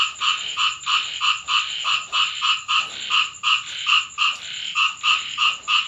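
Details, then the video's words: Rainy-night frog calling from a home in Thailand: a steady series of resonant croaks, around three each second, slightly uneven in spacing, with a faint continuous high whine behind them. "เสียงกบร้องตอนฝนตก Frog sound effects"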